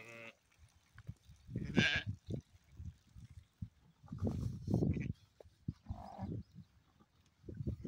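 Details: A black sheep bleats, one strong wavering cry near the start and a fainter one later, between low rustling and thudding noises.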